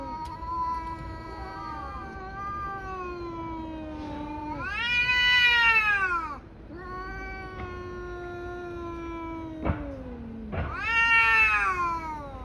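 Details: Two tabby cats fighting: low, drawn-out growling moans broken by sharp, rising screeches that peak and fall, with a couple of sudden clicks or thumps between the outbursts.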